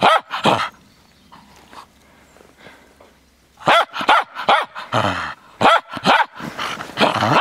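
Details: Frisky Cairn Terrier barking while playing in the snow: a pair of sharp barks, a quiet pause of about three seconds, then a rapid run of loud, broadband barks, some with a rising arched pitch, coming in quick bursts.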